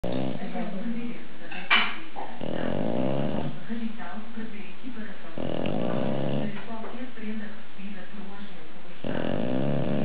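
An English Bulldog snores loudly, each breath a deep, rough, rumbling rattle lasting a second or more. The snores come in uneven bouts with quieter pauses between them.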